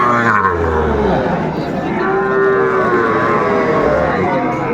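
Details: Cattle moo at Aftabganj market, Gazipur, Bangladesh, 27 August 2024, where Sahiwal bulls and calves are traded: a long, even lowing tone sounds through a busy backdrop of people talking and bargaining.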